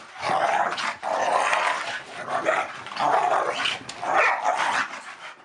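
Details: Rough play between two household dogs, a Staffordshire Bull Terrier and a Collie cross; loud raspy growls and snarls run almost without pause in swelling bursts, followed by a person asking whether they are tired.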